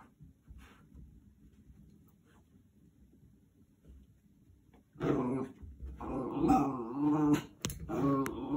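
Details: Ollie, a Jack Russell Terrier, playing indoors and fighting a cleaning brush head: a quiet start of scuffling, then from about five seconds loud throaty growls and grumbling whines in uneven bursts, with a brief voice.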